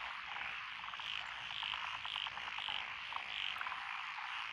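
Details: Lotus paddy frogs by a rural lane in Echizen, Fukui, Japan, recorded 12 June 2021, with a mixed chorus of several species. Rhythmic croaks repeat roughly every second above a dense, unbroken wall of calling.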